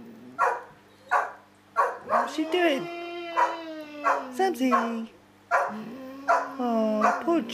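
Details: Samson, a pet dog, 'talking' with Josie: drawn-out, wavering whines that rise and slide slowly downward, broken by short yelps, while a woman speaks coaxingly in the background.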